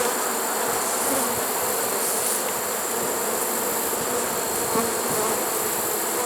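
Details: Late-season honey bee swarm in a trap, September 1, 2019, producing a continuous rich buzzing drone, unbroken and uniform in loudness, with a hissy high-frequency wash over the low hum.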